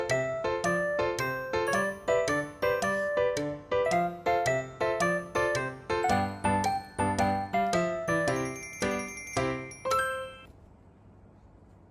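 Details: Bright chiming children's music with regular bell-like notes repeated about twice a second, ending in a short quiet room tone.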